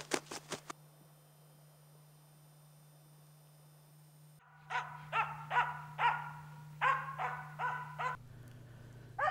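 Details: Finnish Spitz marking a bird for the hunter with repeated barking: a few sharp clicks, a long quiet stretch with hum, then a lively run of about eight loud barks spaced about half a second apart.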